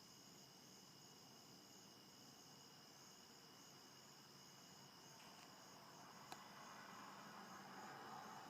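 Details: Cricket chorus from a bedroom window on a dense foggy morning, 1 September 2015, about 5:30 am; continuous shrill layered trilling, with a single sharp click and a low rising rumble like distant traffic toward the end.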